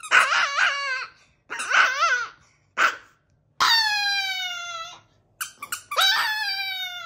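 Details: Chihuahua howling in a series of tonal, wavering notes with rich harmonics, several short bursts followed by longer sustained howls that slide gently downward, with brief pauses between phrases.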